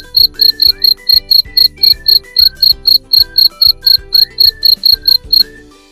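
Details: Cricket chirping in short, even pulses, roughly four per second, each a bright high-pitched burst, steady across the whole stretch with soft background music and melodic tones underneath.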